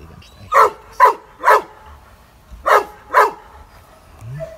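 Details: Benno, a shelter dog at Tierheim Biberach, Germany, said by a former owner to be a Landseer, bought online as a puppy, barks fearfully at a stranger: five sharp, gruff barks, three quick then a pause then two, over quiet background.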